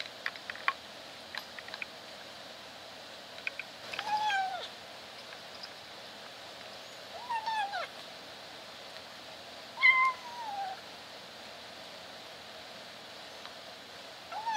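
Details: Kitten kept in a cage while eating, trying to meow between bites: scattered clicks and chewing, then three strained, downward-curving meows around four, seven and ten seconds, the last one higher and louder, in a quiet indoor room.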